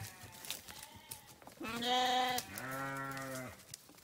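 A sheep gives two loud, wavering bleats, the second longer and lower.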